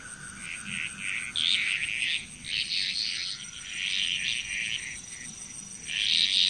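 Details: Balinese frog chorus, Indonesia, with busy overlapping croaking and rattling calls from many frogs, louder surges at the start and end, and a thin steady insect buzz throughout.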